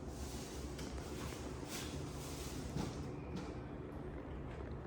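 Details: Quiet, even background hiss and hum with a few soft knocks, and no animal voice.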